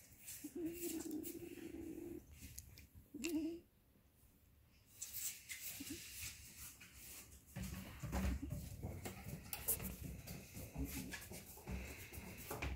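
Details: 13-day-old Weimaraner puppies at sleep time give soft, drawn-out whimpers, followed by rustling and shuffling noises.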